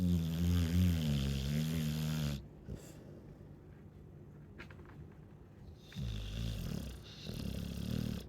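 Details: Snoring Chow Chow dog, a loud, low, vibrating snore drawn out for over two seconds, then a quiet gap before rougher, throaty snorts resume near the end.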